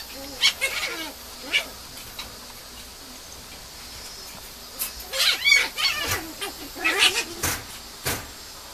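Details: Young female Mame Shiba pup, labelled 6.17, kept at a breeder, whimpering in thin, wavering high notes, first a few separate cries, then a quiet stretch, then a rapid cluster of whines near the end over faint hiss.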